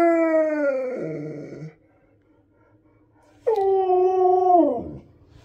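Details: Indoor husky begging for extra treats: a drawn-out howl slides downward into a rough growly ending, then after a pause a second long, wavering howl rises sharply and falls away.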